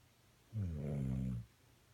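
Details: Sleeping dog recorded 4/26/16, letting out a single low, rumbling snore of about one second in an otherwise quiet room.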